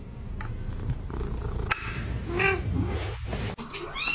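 A kitten meows in brief, high, arching cries, one in the middle and another near the end. A steady low rumble and some household noise run underneath.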